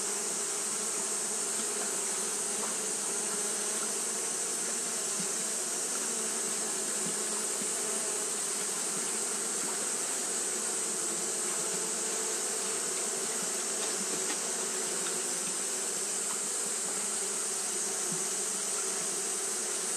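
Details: Hot-day fanning by Japanese honey bees: a long, uniform buzzing drone built from several low hums, continuous and unvarying, beneath a constant high hissing band.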